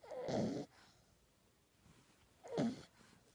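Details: Puppy asleep and snoring loudly, two harsh rasping breaths about two seconds apart, the first longer, with near silence between them inside a quiet room.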